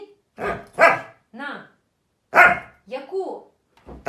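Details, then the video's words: Excitable Husky letting out short rising-and-falling whining howls between bursts of a person talking. Each vocal arc lasts about half a second, and two main cries are separated by pauses. "Husky dogs Crazy and Hyperactive"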